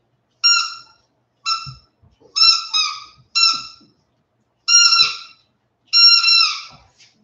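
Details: West Highland White Terrier puppies, 47 days old, back indoors after an outdoor break: six clear, high whimpering whines, each under a second, some dipping or breaking in two, spaced about a second apart against near silence.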